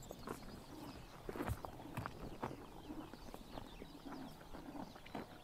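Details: Summer morning in Mongolia, horses cropping grass in the sun; dense, irregular ripping and chewing crunches close by, some louder snaps around the middle, over quiet rural background.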